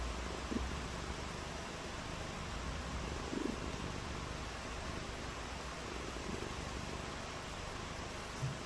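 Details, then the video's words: On a rainy day, a cat purrs with a low, throbbing rumble, strongest in the bass, over a constant hissing background, with a few soft brief bumps. "RAINY DAY WITH FUN AND PURRING | CAT VIDEOS"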